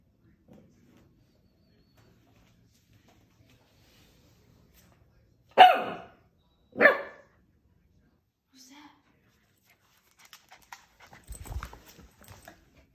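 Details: Corgi scared of his own reflection gives two sharp barks about a second apart, then a faint low grunt and some soft rustling and clicks.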